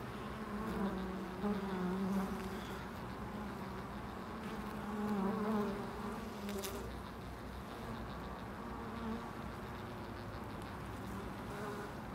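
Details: Several bees buzz at a loading dock, a continuous low hum that rises and falls as they circle nearby, loudest around two and five seconds, with a short sharp rustle near seven seconds.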